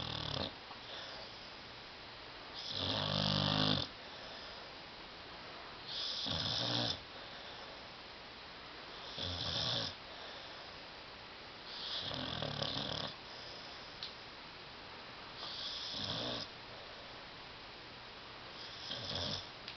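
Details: Tyson, a pet dog asleep on a love seat, snores loudly indoors: rasping, nasal snores with a buzzy low rumble, each lasting about a second and recurring roughly every three seconds across the stretch, with quiet breathing gaps between.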